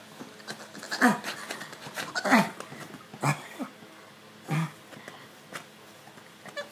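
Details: A male pug named Stitch rubbing and scratching his itchy neck inside a small room, giving a few short throaty grunts and snuffles, two louder ones early and others spaced unevenly.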